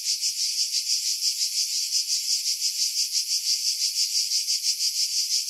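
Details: Cicadas singing in July 2018 among pine trees about 50 m above the sea at Pefkos Bay, Skiros Island, Greece; a dense, high, sizzling buzz pulsing about three times per second, steady throughout, with wind filtered out.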